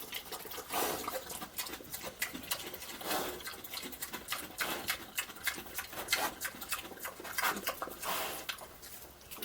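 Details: Pig munching and snorting through slop. A steady run of wet, gulping, noisy bursts comes every fraction of a second, rising and falling in loudness, with slurping sounds in between.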